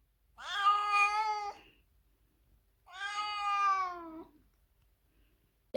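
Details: Pet cat being shut in a carrier before its yearly vaccination at the vet wails twice; drawn-out meows, the second sagging downward at the end, followed by a sharp knock.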